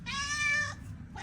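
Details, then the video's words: Short, bright meow from a hungry neighbours' cat, strong and level for about three quarters of a second, then the start of another call at the end. "He cannot bear hunger - our neighbors cat"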